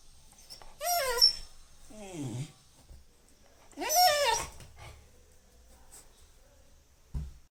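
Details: Labrador Retriever puppy yelping twice in sharp, bending high cries about three seconds apart, a lower sliding sound between them, then near silence and a brief thump at the end.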